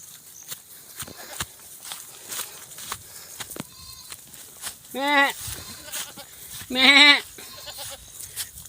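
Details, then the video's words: Goats being herded in a field in the rural countryside, called stubborn by their herder: two loud, wavering, harmonic-rich bleats about two seconds apart, each lasting under a second, with a man talking and a fainter short call before them. "magpapastol po tayo ng kambing sa bukid"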